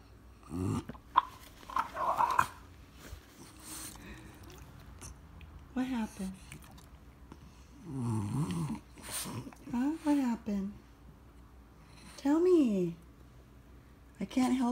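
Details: French Bulldog indoors, demanding to go for his morning walk: drawn-out, wavering moans and grumbles in bursts, some arching up and down, separated by short pauses, with quieter scattered sounds between them.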